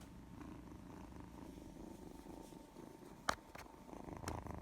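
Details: Affectionate cat purring in the sunshine: a soft, steady low rumble runs throughout, with two brief sharp clicks near the end.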